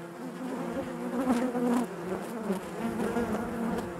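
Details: Inside a honey bee hive, a continuous low hum of many bees, with wavering tones that rise and fall and a louder surge of buzzing around the middle.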